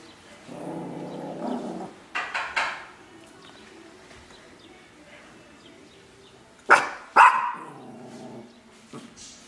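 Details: Guard dogs on duty give several barks: a low harsh bark early, a quick double yap around two seconds, then two sharp loud barks followed by a longer bark near the end.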